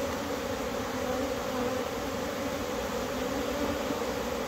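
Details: April bees flying excitedly once a cold spell has passed; a thick, constant low hum of many wings, steady in loudness from start to finish.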